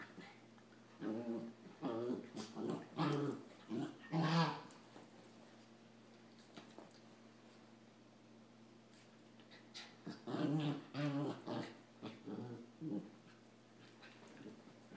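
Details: Samoyed and Rat Terrier puppies play fighting indoors: short bursts of growls and whimpering yips in two clusters, several seconds apart, with a quiet stretch between and a steady low hum underneath.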